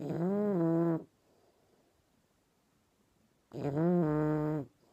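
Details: Dozing English Bulldog puppy Dobi snores twice, each a raspy, harmonic rumble of about a second, the second starting after a few seconds of near silence.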